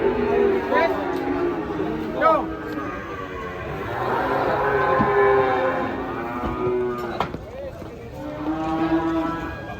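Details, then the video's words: Big cattle unloaded from a truck for weighing in the morning: repeated harmonic lowing moos from more than one animal, rising and falling, with faint talk and background noise. "PROSES SAPI SAPI MONSTER TURUN DARI TRUK DI TIMBANG"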